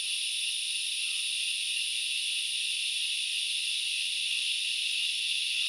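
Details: A steady, high-pitched, unbroken hissing buzz from a chorus of grasshoppers, recorded at Knuckles Reserve in the Central Highlands of Sri Lanka.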